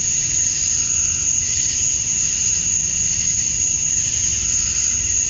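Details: Male cicadas calling to attract females at dusk on a summer night in Georgia, USA, a steady, high-pitched, unbroken buzzing drone layered with a lower insect tone and nothing else clearly heard.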